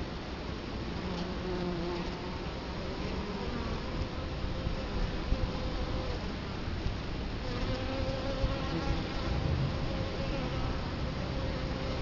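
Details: Italian honey bees humming at their hive entrance in Colorado Springs, 2011, camera placed right in front; a deep, constant drone with overlapping wingbeat tones, swelling slightly toward the end.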